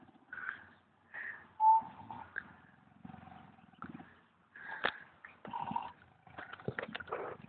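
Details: Tired pig snoring while asleep at the Wales Ape and Monkey Sanctuary in the Brecon Beacons, recorded years earlier; low raspy pulsed snore bursts come in short spells, mixed with higher brief tonal squeaks and a sharp knock.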